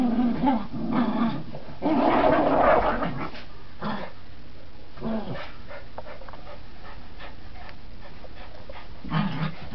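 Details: Gracie and Marvin, Border Terriers at tug play, give short rumbling growl bursts, strongest around two to three seconds, then quieter scuffling with a brief growl again at the end.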